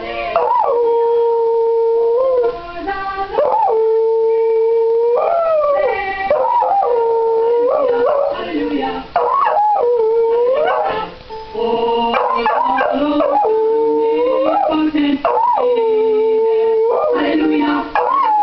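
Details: Pet dog howling along in a Christmas song session, long wavering tonal howls that hold steady notes, slide upward and break off, sustained nearly continuously with brief pauses, loud and close.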